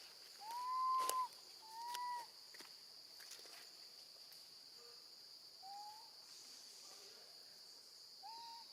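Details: Baby female monkey calling for her mother while left alone with her grandmother: a series of clear, whistled, slightly rising tonal cries, two loud ones in the first seconds, then fainter repeats, over a steady high insect-like hiss.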